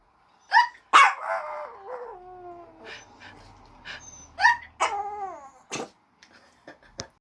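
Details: Maryjane, a small dog, answers a person's hiccup with a bright yip that stretches into a sliding, descending howl, then two more short falling howls and scattered clicks.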